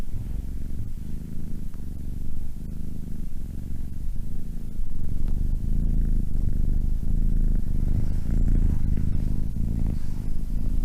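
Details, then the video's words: A domestic cat purrs steadily, its low vibrating rumble rising and falling with breathing about once a second and growing slightly louder midway, with no other sounds present. "Funny cats, sound cats."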